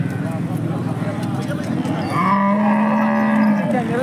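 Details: Holstein Friesian cow at the Peth Vadgaon cattle market in Maharashtra, India; a long, steady, low moo holds for over a second near the end, after murmuring voices and market bustle.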